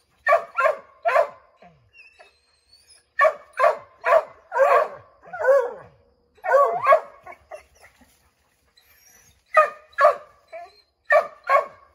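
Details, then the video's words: Five Redbone Coonhounds barking at a chipmunk up an oak tree, hoping to send it scrambling down; clusters of three or four sharp barks separated by short pauses, with occasional yelps. "Redbone Coonhounds Tree a Chipmunk"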